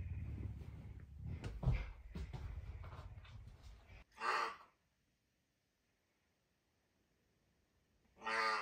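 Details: Messi, a pet puma, hungry and eager for breakfast early on a Tuesday morning indoors. Four seconds of low rumbling lead into two loud, harmonic, meow-like calls about four seconds apart, with near silence between them.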